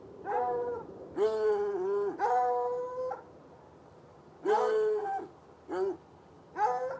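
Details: Two chained hounds, one white and one dark, outside in a bushy lot near a red outbuilding beside an irrigation ditch on a Saturday night, about 10 yards away. Six drawn-out, tuneful bays come in uneven bursts with short quiet gaps between them.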